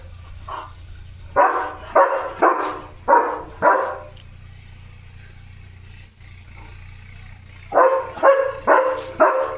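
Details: German Shepherd Leo barking at the gate, warning that animals are going past outside; a short burst of five deep barks, several seconds of low background hum, then another quick cluster of barks.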